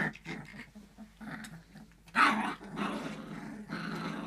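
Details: Three-week-old fox red Labrador puppies at play, giving small rough growls and squeaky grumbles, with a louder burst midway, in a small indoor room.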